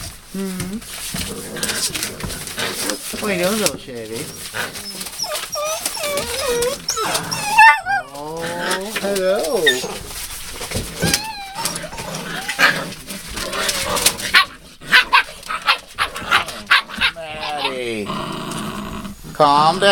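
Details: Puppies listed with Rosebud, dated 02/08/12, giving wavering, high whimpers and whines again and again across the stretch, often overlapping human talking, with brief short yelps near the end.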